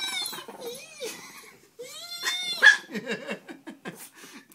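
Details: Small Peka-Pom dogs, about five pounds, teased by a man at home; wavering high growl-whines sliding up and down, then a run of short pulsed snarls, with a voice under them.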